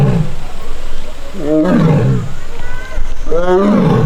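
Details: Young Korean tiger at a forest arboretum tiger enclosure on August 1, annoyed after failing to reclaim a mat and crying as if missing its sibling; two or three low, harmonic, falling moans, steady background hum.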